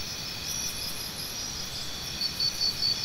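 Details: A constant high shrill of crickets with a few faint scratchy notes early on. In the final second a nearer cricket gives several quick, regular chirps.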